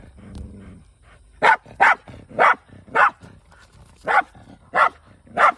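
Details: Male Shiba Inu Kai hunting in a rural setting with a former stray housemate: a low growl opens, then seven sharp, loud barks spaced about half a second apart.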